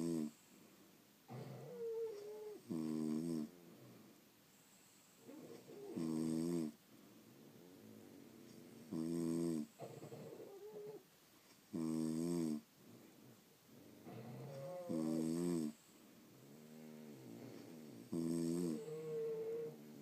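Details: Several sleeping French Bulldogs snore steadily, about every three seconds, each snore a rough harmonic rasp, with fainter whistling breaths and a few short squeaks in between.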